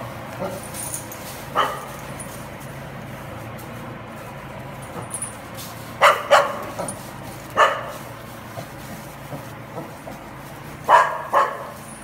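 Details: Welsh Corgi Dixie, unafraid, driving cows: sharp broadband barks come singly and in pairs at irregular intervals over a steady low background hum, louder doubles near the middle and end.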